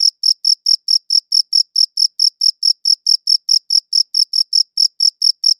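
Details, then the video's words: Cricket chirps ring out in a clean, regular series, roughly four bright high pulses per second, each brief with a fainter upper harmonic; background otherwise silent. "Cricket Chirping Sounds"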